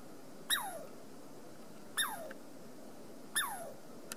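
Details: Three falling, whistled chirps from a Douglas squirrel along the Amanda Trail, each starting high and sliding quickly downward, spaced roughly one and a half seconds apart in a quiet setting.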